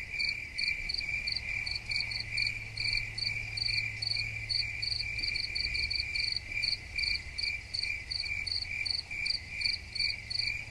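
A cricket chirps steadily, with rapid trains of high, ringing pulses repeated in quick succession.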